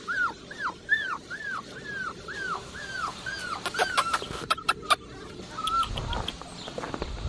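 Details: Blue merle male Australian Shepherd puppy whimpering in a steady series of about ten high, down-curving cries, then sharp clicks and taps and a few fainter whines.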